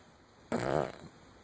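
A Cavalier King Charles Spaniel gives a single rattling snore, a brief fluttering rasp through the nose.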